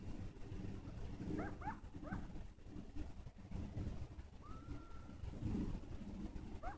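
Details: Distant coyotes give short, high, falling yips in quick pairs, then a rising howl that levels off and holds. A last yip closes the sequence, over a heavy, steady low-pitched background rumble.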